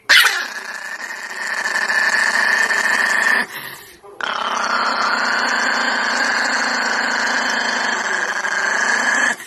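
A dog gives a long, drawn-out, whining howl that wavers in pitch, with a brief pause partway through.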